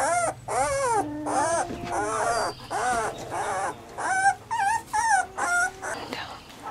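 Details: Weimaraner puppies whine in loud, arching cries that rise and fall, repeated in quick bursts with short gaps between them.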